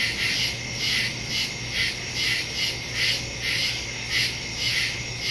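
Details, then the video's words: Night-time crickets in the woods, September 2, 2023, phone and stereo microphone; loud high chirp bursts about twice a second rise and fall over a steady shrill background trill and a faint low hum. "Crickets in the woods at night"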